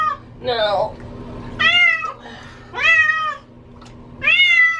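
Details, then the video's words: Bathing female cat that hates water yowls indoors; a short cry followed by three loud arched meows at regular spacing, each rising then falling, over a faint hum. "Cat sounds like she is saying Help Me"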